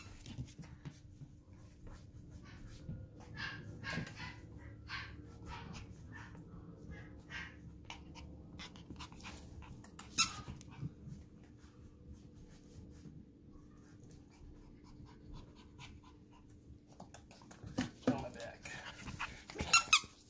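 Lhasa Apso puppies make soft panting breaths and faint whimpers, with a few sharper squeaks.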